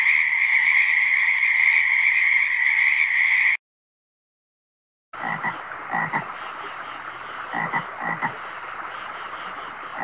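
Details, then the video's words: Frogs calling: a dense, steady high-pitched chorus fills the first three seconds, then cuts to a short silence, followed by bursts of rapid, raspy croaks over a constant background hiss. "Frog sounds!"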